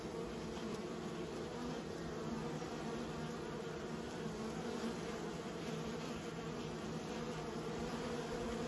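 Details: Kept bees produce a dense, steady hum, a continuous drone layered with low tones that holds an even level throughout, with no other clear sounds.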